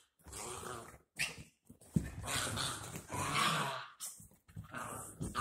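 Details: Dachshund puppies Ryker and Oliver wrestle in play after bath time indoors, giving near-continuous low growls and snarly grumbles with breathy scuffling between bursts.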